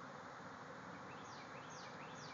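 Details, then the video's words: Thousands of honeybees swarming out of a backyard hive and flying all around. Dense, steady broadband hum fills the whole span, with faint, brief rising whines of single bees passing close. "Bees swarming out of a hive"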